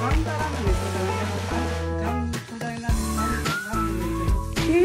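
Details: Upbeat background music with bass and melodic notes throughout, with no animal sound heard.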